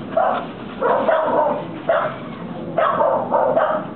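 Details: American Pit Bull Terriers Tamara and Felipe playing in a home yard in Corrientes, Argentina; loud, harsh barks in bursts, some doubled, roughly five barks across a few seconds.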